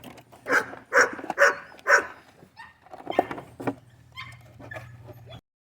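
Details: Five-week-old Golden Retriever puppies from a litter, giving a run of four short, high yelping barks roughly every half second, then softer scattered squeaks, with a person talking to the puppies close by.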